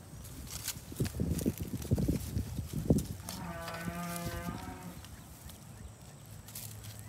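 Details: Heavy thumps and scuffling fill the first seconds as a young pygmy goat chases its mother, then it lets out one nasal, quavering bleat lasting over a second. Low background rumble continues afterward.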